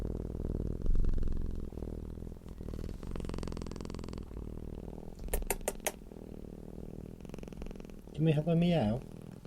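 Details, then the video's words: Low continuous purr of a relaxed, happy cat, rhythmic fine pulses throughout, with a few sharp clicks near the middle and a short wavering vocal sound toward the end over the rumble. "CAT PURRING SOUND deep humming sound of a purring cat"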